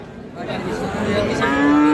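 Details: Cattle at Raniganj market near Dinajpur on 31 July 2025, where Friesian and crossbred bull calves are offered. A low, droning moo swells and rises in the last second over a steady murmur of crowd noise and voices.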